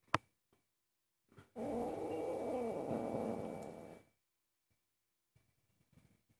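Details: Angry house cat objecting to cooking, giving one sustained rough growl of about two and a half seconds with a harsh, noisy texture, preceded by a sharp click and followed by quiet kitchen rustles.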